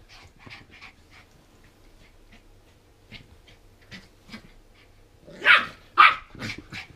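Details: Border Terrier pup, 14 weeks old, hyper after eating too much sugar from a bag of toffee popcorn found under the bed; soft faint sounds, then three loud sharp barks about half a second apart near the end.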